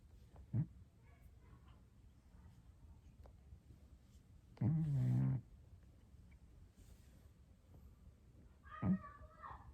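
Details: Snoring from a Scottish Straight cat, with one clear low, buzzing snore under a second long midway through and faint soft snuffles before and after in a quiet room.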